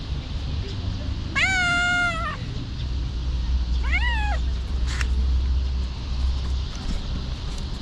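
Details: Stray homeless cat outdoors in Ras Al Khaimah, United Arab Emirates, voicing one loud, long, flat meow followed by a shorter rising-falling meow, with a continuous low engine hum in the background.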